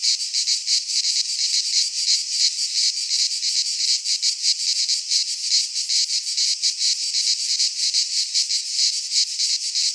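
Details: Midsummer chorus of cicadas in a Greek pine forest, a loud shrill buzz made of fast, slightly uneven pulses that never pause, filling the whole stretch without birds or voices.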